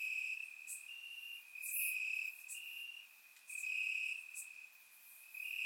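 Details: Crickets chirping in grass on a warm summer night in Bulgaria, captured with a surround microphone: a steady high trilling band, louder and softer in waves, with brief brighter chirps from other insects overhead.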